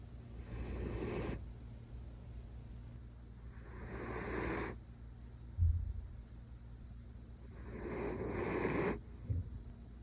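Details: A male Miniature Dachshund in Dublin, Ireland, sleeping snuggled up against his owners under cozy blankets, snores in soft, breathy, wheezing rasps about every three and a half seconds.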